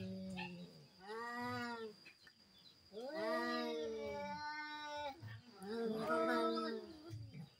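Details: Cats in a duel, three drawn-out yowling bouts, each swelling in pitch and loudness, separated by brief quiet gaps.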